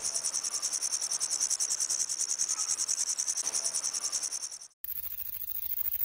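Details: A grasshopper buzzes in a steady, high, rapidly pulsing hiss for about four and a half seconds, then the recording cuts to quieter, altered background sound.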